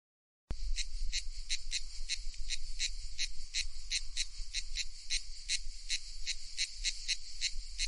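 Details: Cicada calling loudly after a brief silence: a harsh, buzzy pulsed drone with about three bright pulses each second, steady throughout, over a low rumble.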